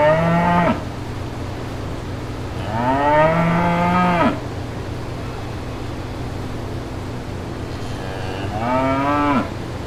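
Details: Lowing of brown cows and calves walking through green pastures, three drawn-out harmonic moos spaced a few seconds apart, the last bending upward, over a constant low hum.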